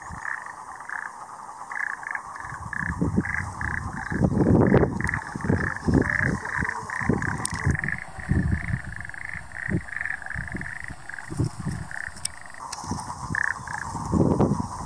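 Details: Japanese common toads (Bufo japonicus formosus) breeding in the Tochigi mountains, Japan, on 25 April 2022 give rapid, short, mid-pitched notes in a steady stream, with splashing and low thumps.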